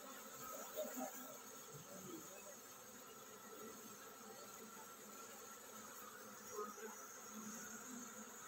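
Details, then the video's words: Many honey bees humming as their colony prepares to swarm; an even, continuous drone with a couple of short louder bursts around one and six and a half seconds. "Tổ ong mật chuẩn bị san đàn"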